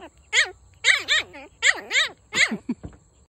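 A Shih Tzu puppy gives a quick series of high, squeaky yipping barks.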